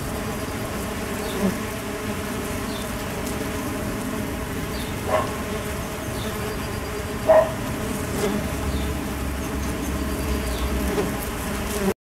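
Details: Mason bees in the UK getting going on a warm day in mid-spring 2011; continuous low humming drone throughout, with brief louder buzzes as individual bees pass close, near five and seven seconds.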